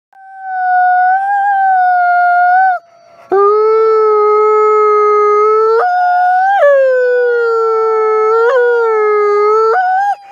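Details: Nikai, a captive-born gray wolf and ambassador wolf at the Wolf Conservation Center in South Salem, New York, howls in long steady tones, dropping lower after a short pause, then leaping up and back down with yodel-like breaks and a final upward lift.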